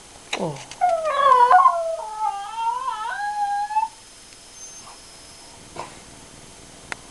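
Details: Female schnauzer 'singing the blues': a sharp yelp, then a drawn-out, wavering howl lasting about three seconds that fades into near quiet with a few faint clicks.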